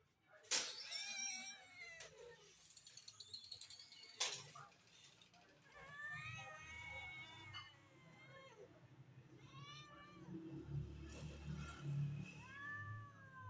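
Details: Cats ready to eat meat give repeated rising-falling meows, several short mewing calls overlapping at times, with low background rumble and some clatter.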